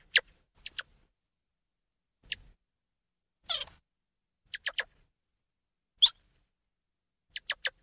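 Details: Squirrel monkey calling: short, sharp peeps sweeping steeply downward from very high to mid pitch, given singly or in quick pairs and triplets at irregular gaps of one to two seconds, with quiet pauses between.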